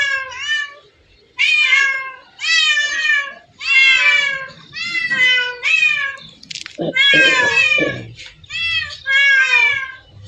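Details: Cats at a place holding hundreds of them, meowing loudly and repeatedly: a run of drawn-out, bright, harmonic meows, each under a second long, with one brief scuffling noise partway through.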